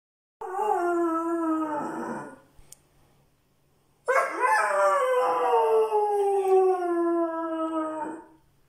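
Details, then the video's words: Irish Red and White Setter howling back at a friend heard howling over a messenger call. Two long, drawn-out howls with a short gap between them; the second howl is longer and slides slowly downward in pitch. "Howling Irish Red and White Setter"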